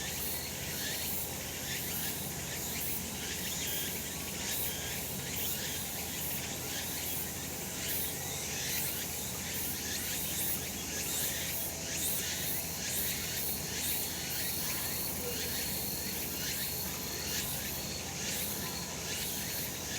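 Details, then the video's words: Cicadas calling on a sunny summer mountainside in Japan: a dense, steady high-pitched insect chorus, rasping pulses repeating about once a second over a constant bright hiss, with low rural background rumble. "セミの鳴き声 夏の山 日なた"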